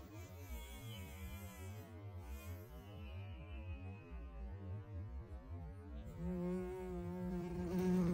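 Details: A bumblebee at a backyard boysenberry bush gives a low, droning wing buzz, wavering in pitch and swelling louder toward the end.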